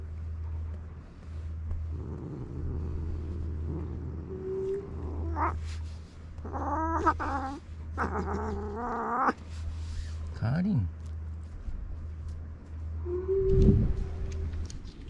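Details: Karin, a fierce stray cat in a Japanese park, irritated and jealous of a walk companion: a series of wavering, moaning yowls that rise and fall, with a short low growl-like call near the end and a steady low hum.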